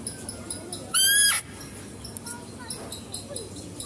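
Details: Female deer at a zoo, heard while a male deer is fed; one loud, short, harmonic call that rises slightly and ends abruptly, over low background murmur and faint voices.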